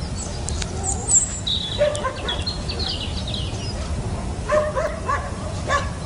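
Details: Puppy climbing a fence, giving a few short high yaps in brief clusters, with chirping birds and steady background noise.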